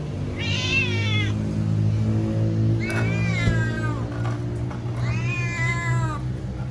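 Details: A cat kept waiting for food gives three loud, drawn-out meows, each rich in harmonics and bending up then down, evenly spaced about two and a half seconds apart over low background hum.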